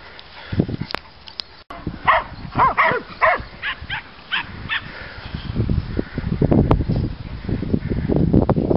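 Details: Dogs on a walk in the fields, a mixed group of border collies, border terriers and Miniature Schnauzers, dated 8-06-08: a burst of short, sharp barks in quick succession midway, with rustling, thumping movement noise before and after.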